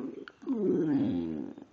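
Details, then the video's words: Pet dog Precious, a female, chats back indoors on 5/6/2011 with a smooth, one-second humming moan that rises slightly and then settles, after brief soft noises and a woman speaking affectionately. "Precious sings and talks!"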